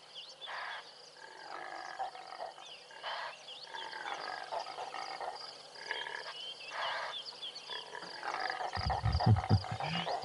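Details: Impala (Aepyceros melampus) rams in a rutting contest, shouting at each other with harsh, raspy snorting roars about once a second, on an April 20 game drive; grey go-away birds and other birds chirp, with low wind or handling rumble.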